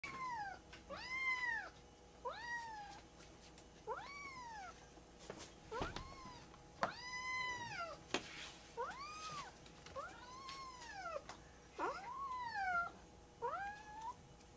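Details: Two rescued foster kittens, Goro and Maru, play-fighting indoors after eating, give quiet arched mews that rise and fall, about a dozen in fifteen seconds, over a faint room hum with occasional thumps and scuffles.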